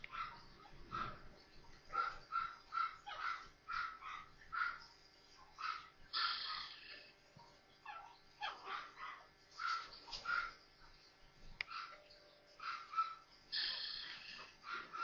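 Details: Four newborn Maltese puppies playing together; short, thin, high squeaks and whimpers come in irregular bursts, sometimes several in quick succession, with soft rustling between them.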